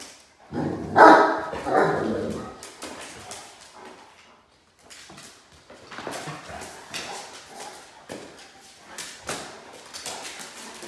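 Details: Great Danes Ellie, brother Mikey and cousins Gator and Rev prancing and playing together indoors; a loud, rough growling burst in the first two seconds, then quieter scuffling, paw clicks and brief soft vocal noises.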